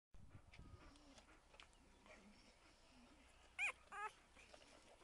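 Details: A five-day-old male standard Bull Terrier puppy lets out a pair of brief, thin, high-pitched squeals close together, with only soft rustling and low room noise otherwise.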